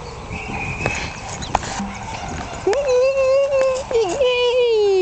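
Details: One-month-old Jack Russell Terrier puppies from the Yeti Romany Storm x Romany Rio litter, born 27 October 2010. A long, steady, high whine with rich harmonics begins halfway through and holds for over two seconds. Faint clicks and background noise come before it.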